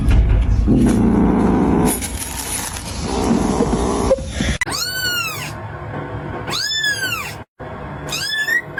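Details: Kitten meowing after a loud, muddled start with music-like background noise. Three high arched meows then follow about two seconds apart, the last one shorter and rising.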